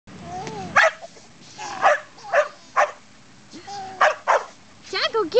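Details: Pet dog barking because people will not pet him; sharp barks in uneven bursts, some bunched in pairs, mixed with whiny tonal sounds and a person talking in the room.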